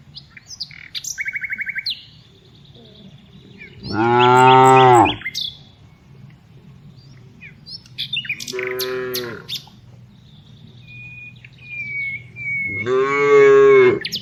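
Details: Tame cows out for afternoon herding give three moos: a loud, deep one, a softer, shorter one, then another loud, drawn-out moo. Birds twitter and whistle between the calls.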